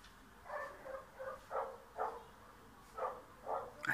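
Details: Bulgarian yard dog chasing a cat away gives a string of clipped, mid-pitched barks roughly every half second, some doubled, against quiet background noise.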